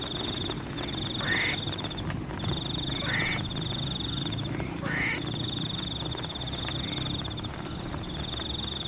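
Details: Frogs calling in the rain over rice paddies: three raspy, upswept croaks, roughly two seconds apart, followed by quieter rain hiss, an unbroken shrill insect trill and faint high ticking.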